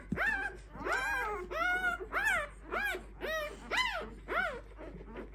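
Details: Clumber Spaniel puppies aged five days whine in a clear series of about eight arched, rising-then-falling squeals spaced under a second apart, each strongly harmonic and fairly loud.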